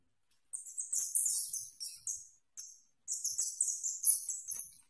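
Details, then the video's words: Asian house shrew giving very high, shrill, chittering squeaks in rapid bursts of three or four a second, broken by short pauses; nothing else is heard. "Suara Tikus Curut"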